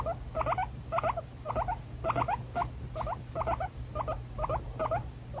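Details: Pet guinea pig giving rapid, repeated squeaky chirps in short bursts, roughly two per second, over a steady low hum.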